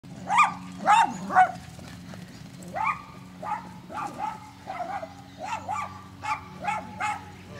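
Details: Senior rescue Rhodesian Ridgeback and other excited dogs running and playing chase in a park at Emu Bottoms Wetlands; a series of short, sharp barks and yips, about two per second, over a low steady background hum.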